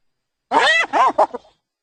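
A hyena gives three quick, arching, nasal syllables that rise and fall in pitch.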